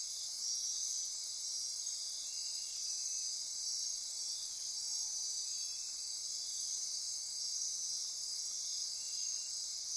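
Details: After dark in Costa Rica's Corcovado rainforest on the Osa Peninsula, insects ratchet, trill and buzz in a dense high-pitched chorus, several steady tones running continuously beneath short repeated pulsing bursts.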